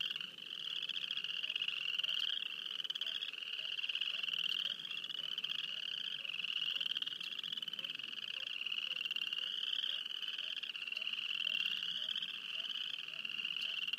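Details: Frogs near Wayne, Alberta keep up a dense continuous chorus of high rapid pulsed trills, overlapping callers producing gentle waves of rising pitch throughout, with faint low ticking underneath.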